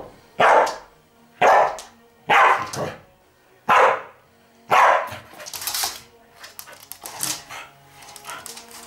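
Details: Dog Pearlie challenging Etsu to play as a way of easing her excitement; five loud, evenly spaced barks roughly one per second, followed by quicker, softer yaps and scrabbling noises.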